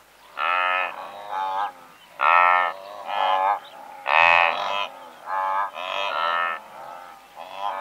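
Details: Several hundred blue wildebeest in one herd produce a dense chorus of short, resonant honking grunts. Strong calls arrive about every second, stacked in harmonics, with a sharper, brighter call standing out near the middle.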